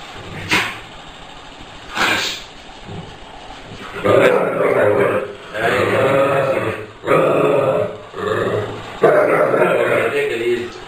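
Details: American Staffordshire Terrier in attack mode, giving a series of harsh, throaty growling barks in bursts of about a second each, after two sharp early sounds; voices nearby.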